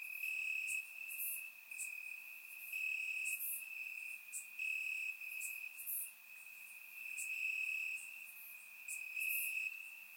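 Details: Crickets chirping in grass on a warm summer night in Bulgaria, recorded with a surround microphone: a steady high trill runs throughout, with brighter pulsing chirps from other crickets swelling and fading every second or so.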